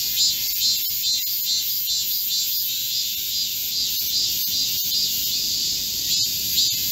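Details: Korean cicadas singing in chorus in a green forest in midsummer heat, recorded 25 July 2024: a dense, steady high buzzing with a pulsing shimmer, two layered bands of sound, and faint clicks scattered throughout.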